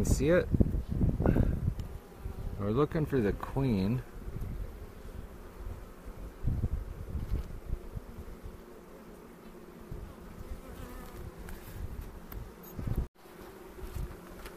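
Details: Honey bees during an April 27 inspection near Cochrane aimed at finding queen cells and making one split; a person talks over the first four seconds, then a steady low hum of the colony continues with scattered clicks.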